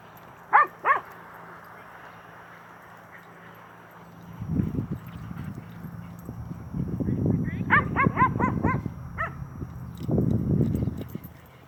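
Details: Playing with another dog, the nine-month-old Cane Corso Xina lets out two sharp yips, then a rapid cluster of high barks amid low growly rumbles and a person's voice.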